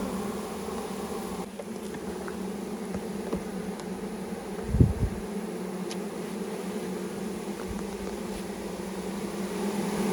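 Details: Several thousand honey bees from a package being poured into a hive, with the queen placed in her cage, on a first beekeeping outing during quarantine; a steady, dense low droning hum throughout, with a brief knock near the middle.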